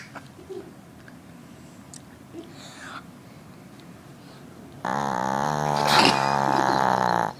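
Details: A sleeping Northern dog snores. After about five seconds of faint room noise, a long, loud, droning snore with a rich layered tone holds steady for nearly three seconds.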